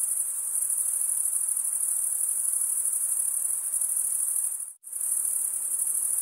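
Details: Crickets, males stridulating with their wings, keep up a thin, piercing, unbroken trill; near the end it cuts out completely for a split second, then resumes at the same level.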